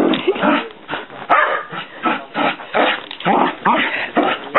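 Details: Hyperactive female dog bouncing off the walls and running around a house, barking in rough, irregular bursts about once a second, with short gaps and scuffling between barks.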